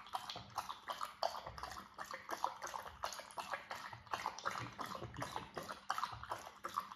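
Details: Irish Setter lapping water without pause: rhythmic wet slurping strokes follow one another closely, with sloshing and splashing filling the background.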